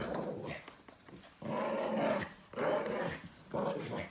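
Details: Chihuahua and silky terrier mix dog growling as he attacks and plays with an owl stuffed toy on the carpet; repeated drawn-out rumbling growls in several bursts, indoors.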